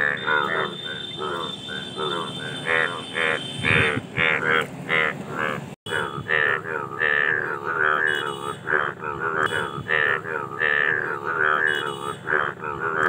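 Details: Indian bullfrogs calling during mating, a dense chorus of nasal, harmonic croaks overlapping in quick uneven bursts, with a steady high hum throughout and a brief dropout near the middle.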